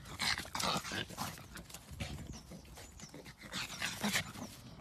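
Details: Pug; vocalizing; asking for food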